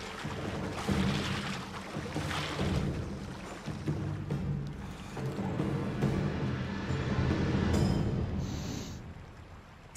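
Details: Swelling orchestral music with timpani over a steady wash of moving water, with no clear animal voice standing out.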